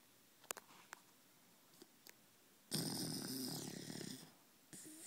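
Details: Sleeping male Pembroke Welsh Corgi snoring beside its owner in a small room: a few faint clicks and breaths, then one loud, harsh, wheezy snore lasting about a second and a half, followed by a short breathy tail.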